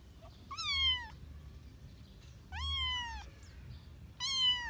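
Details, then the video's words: Domestic cat meowing: three loud, drawn-out meows, each rising then slowly falling, with rich harmonics, spaced about 1.5 seconds apart; low background hum in a quiet room. "Suara kucing"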